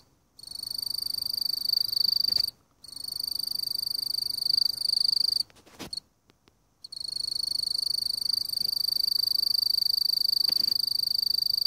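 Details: Mottled bush cricket (Eurepa marginipennis) calling: a continuous high, narrow-pitched buzzing trill with harmonics above, broken by a few short pauses and brief clicks, then resuming steadily.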